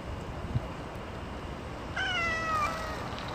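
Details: Hungry stray cat meowing while being fed chicken and cat food: a single drawn-out, falling meow lasting about a second with clear harmonics, following a quiet stretch of low background rumble.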